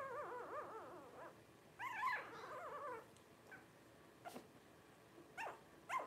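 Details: Blenheim Cavalier King Charles Spaniel puppies at 12 days old: an undulating whimper, a louder wobbling cry, then quiet pauses broken by a few brief sharp yelps and squeaks.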